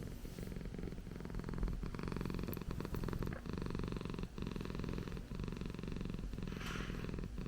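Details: Indoor Persian cat kept as a pet, giving a continuous deep purr, a fast regular throb with slight swells in loudness.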